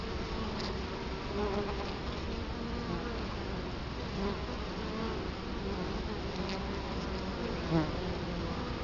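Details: Italian honey bees at the hive entrance in Colorado Springs, October 2011, with the camera placed right in front of the hive. A steady, dense low hum of many wings runs throughout, with a few brief louder buzzes as bees pass close.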